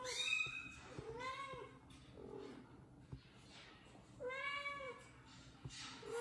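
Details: Kitten meows played from a phone while a mother cat washes her kitten indoors: several high, arching, harmonic-rich mews, roughly one per second in bursts, with faint room noise and a low hum beneath.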